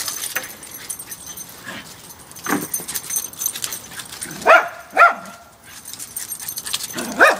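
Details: Two Parson Russell Terriers playing together, a short-haired 2-year-old female and a long-haired 8-year-old male, high-energy dogs; a few sharp high yips near the end, with scuffling and rustling throughout.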